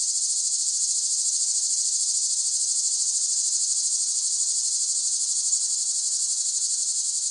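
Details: Cicada buzzing in a continuous, dense, high-pitched whine with a rapid shimmering pulse and even loudness throughout; nothing else heard.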